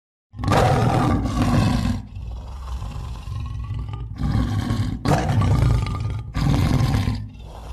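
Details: Lion roaring: deep, rough, low-pitched bursts, a long one then two shorter loud ones, separated by quieter rumbling breaths.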